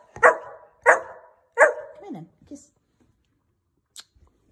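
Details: Pet Saint Bernard dog 'talking' with drawn-out, voice-like howling yowls: three loud moaning calls about 0.7 seconds apart, then a falling whine and a short grunt, in a quiet room.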